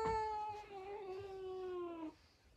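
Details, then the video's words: Female pet cat indoors giving one long drawn-out yowl with clear harmonics, lasting about two seconds and slowly falling in pitch before stopping abruptly, followed by quiet room noise. "Mi gatita gritando"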